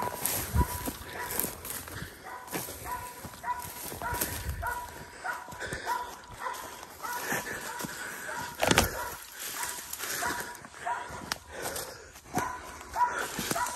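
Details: Belgian Malinois baying while hog hunting outdoors: steady run of harmonic barks, roughly one or two each second, over constant rustling, snapping brush and footsteps.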